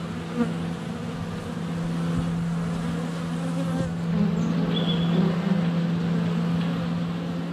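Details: Swarming honey bees at the hive entrance in February sunshine, recorded on a GoPro Hero 7 Black set less than a foot from the hive: a thick, continuous low hum, with a short clear bird whistle partway through.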